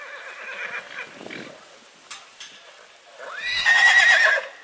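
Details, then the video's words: Quiet snorting and muffled sounds give way to a purebred horse's sharp whinny in spring, rising quickly and then holding a high, trembling tone for about a second. "CABALLO PURO RELINCHANDO"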